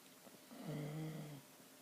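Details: Sleeping dog named Chyna Doll snoring indoors: a single drawn-out, low droning snore lasting under a second, rising and fading smoothly.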